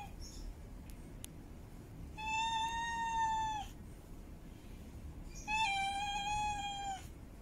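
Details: Two long, level meows from a female cat in heat calling for a mate, each lasting over a second with rich overtones, separated by a quiet pause; a few faint clicks early on.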